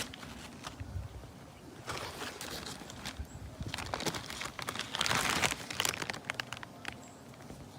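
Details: Crackling, crunching and rustling handling noises fill the recording outdoors. No clear animal voice or buzzing stands out.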